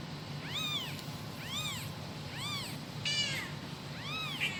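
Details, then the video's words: Kitten calling its mother: five high, thin arching meows, each rising then falling, about one per second, over a steady low hum. "suara anak kucing manggil induknya"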